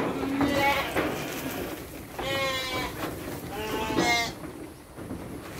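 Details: Sheep being given dry feed alongside children on a farm, two wavering harmonic bleats near the middle, with children and adults chatting in Indonesian in the background.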